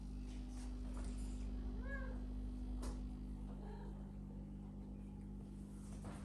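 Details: Domestic cat living indoors in a house shared with exotic animals; a single short meow with arched harmonics near the two-second mark, then faint softer sounds, over a steady low indoor hum and occasional light knocks.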